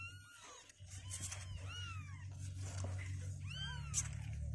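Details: Two-week-old kittens, healthy with strengthening legs, refusing to stay sitting in their box, give thin, high mews that rise and fall, about five calls in quick, uneven succession over a steady low indoor hum.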